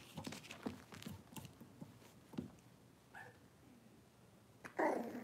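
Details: Six-week-old Cavalier King Charles Spaniel puppies in an indoor puppy pen, being dewormed and having toenails trimmed; handling clatter, then a short high whine, and near the end a loud harsh yelp.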